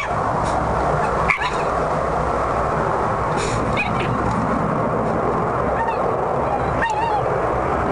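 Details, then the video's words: An upset fox in a garden guards its food from a rival fox that has just appeared. It gives short, harsh, wavering squawks and cries, scattered a few at a time across the clip over a steady, loud, rushing background noise. "Upset fox - Making sounds"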